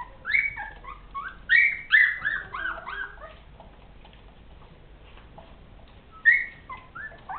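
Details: Rhodesian Ridgeback pups, ten days old, squealing and whining in repeated high, wavering squeaks, several in quick succession early on, a lull, then a fresh pair of thin squeals near the end.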